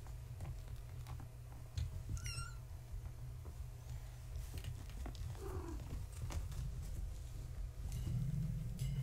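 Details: Kittens of Gaia, a fluffy tabby mother cat, born March 14, 2017, playing indoors at bedtime: one sharp, high, rising-then-falling kitten meow, then a fainter second cry, over steady low household hum and soft thumps.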